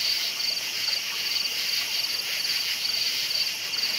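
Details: Crickets at night give crisp, high chirps about two or three times a second, each sharply separated, set against a constant hissing insect background.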